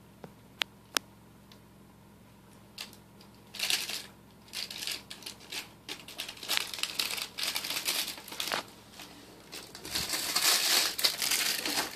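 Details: Crinkling, crumpling and tearing noises fill a small room in bursts, with a few sharp taps and no animal voice.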